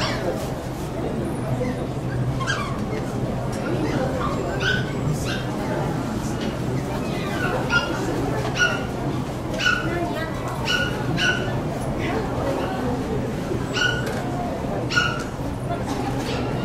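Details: Poodle club branch show in Saitama West, June 2008: a young dog distracted by other dogs lets out repeated short, high-pitched yips and whimpering barks, roughly every second, over steady crowd murmur and people talking.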